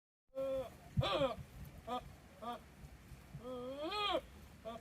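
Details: Goats during the rut, one in heat, letting out loud, wavering, arched bleats that rise and fall, several in a few seconds, some brief and some drawn out, outdoors.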